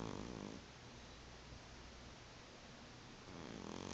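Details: Tifi, a sleeping cat, snores indoors with a soft, raspy rumble; a louder breath at the start and another near the end, quieter airy noise in between.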